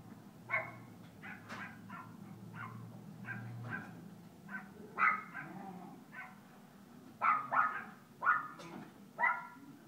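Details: Kooper, an Alaskan Klee Kai puppy, playing at Paws Pet Resorts Lake Forest doggy day care: a string of short, bright, harmonic yips and barks at uneven intervals, several sharper ones bunched near the end, over a low indoor hum.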